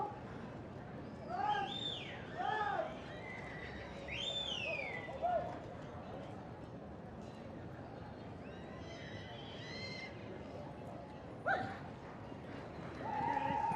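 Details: Welsh Cob foals at a foal championship show, giving several whinnies, each an arching call that rises and then falls in pitch, over steady crowd and arena noise with voices.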